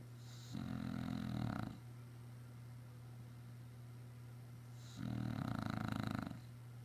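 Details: Sleeping English Bulldog, worn out from running around outside all day, gives two coarse, throaty snores about four seconds apart, with quiet breathing between them over a constant low indoor hum.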